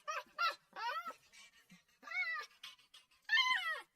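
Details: Puppy crying in repeated arched whines that rise and fall, coming in quick bursts with short breaks between them, mixed with softer whimpers.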